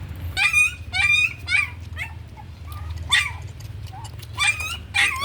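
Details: Puppy being raised on milk powder and growing slowly, giving bursts of high, thin whining yelps in short clusters with pauses between, some notes bending downward; low steady background hum throughout.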